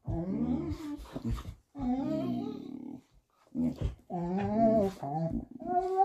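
A Vizsla vocalizes in long, modulated groans and whine-like moans, bending pitch up and down in speech-like bursts. Brief pauses separate the grumbling phrases, with a faint human voice in places.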